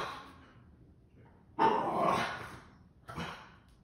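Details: Boston Terrier barking twice in a quiet room: one loud, rough bark stretched to about a second, then after a short pause a briefer, weaker bark.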